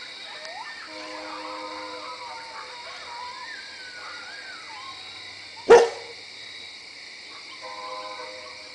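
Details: Coyotes in woods behind a house: a few quavering, sliding howls in the first seconds, then quieter, with a single sharp knock midway and faint howls returning at the end.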